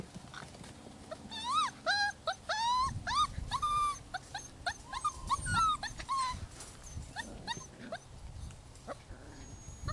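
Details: Six-week-old rescue pups from Holly's litter of ten whine in a run of high, arching whimpers, several rising then dropping, clustered in the first six seconds and then thinning to softer scattered squeaks.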